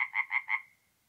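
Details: Tree frog at a forest pond by night in north-east Italy, mid-April: a short burst of four quick, nasal pulsed croaks in under a second, then the last note trails away into quiet.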